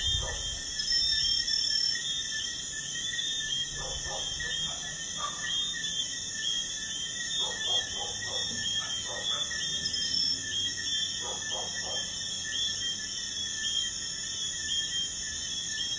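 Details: Night chorus of crickets near a busy highway. Layered high-pitched trills hold constant throughout, broken by clusters of short, lower rapid pulses. Traffic noise stays faint and distant.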